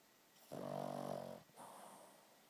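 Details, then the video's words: A dog fast asleep gives one long, buzzy, rattling snore, followed by a softer breathy exhale, in a quiet room. "Proof that Fly snores worse than me."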